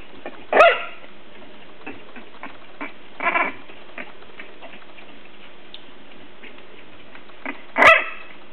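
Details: English Bulldog puppies, three weeks old, playing together as a litter: three brief squeaky yips spaced a few seconds apart, with soft tapping and shuffling sounds in between.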